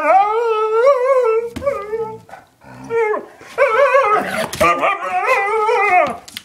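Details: Two pet dogs, Chinook, a one-year-old husky, and Lola, an eight-year-old German shepherd mix, producing loud wavering howls and yodel-like yowls in rapid bursts, with growly undertones between notes.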